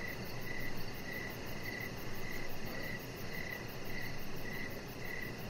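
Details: Evening cricket chorus beside a deck where a chihuahua puppy called Rocket rests under decoration lights; brief high chirps repeat roughly every half second, steady and even, above a continuous low rumble.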